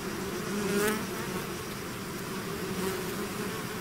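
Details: Natural buzzing of a bees swarm leaving its hive: dense, even hum of many wings, low overlapping tones, one nearby bee briefly louder early on.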